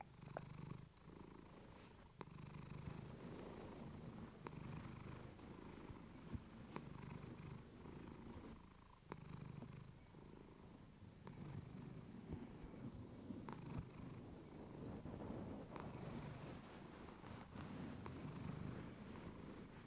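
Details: Relaxed purring of the pet cat Clementine close to a fluffy mic: continuous low rumble with gentle breath-paced swells and occasional light ticks and rustling.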